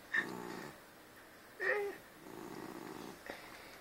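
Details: Husky, a very special albino house cat said to "talk", makes two low, rough, harmonic murmuring sounds, each lasting under a second and separated by a pause, with a short high squeak at the start of each in a quiet room.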